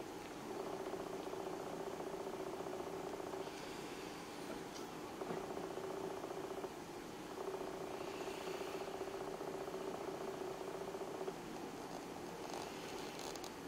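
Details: Cats sleeping together in winter, purring steadily and continuously in a soft pulsing drone that barely changes over the whole stretch, with a faint hum underneath.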